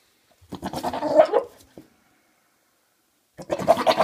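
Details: Harsh, wavering goat-like meow lasting over a second from Maine Coon cats, father and son, followed by quiet and then a second rough call starting abruptly.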